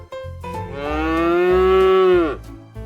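A cow gives one long, steady moo of nearly two seconds that falls away at the end. A faint low hum runs underneath.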